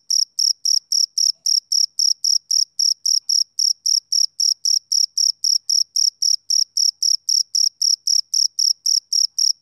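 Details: Steady, unbroken chirping from a male cricket on a summer evening. Clipped high tones repeat about four times a second with a metronome-like regularity against total silence.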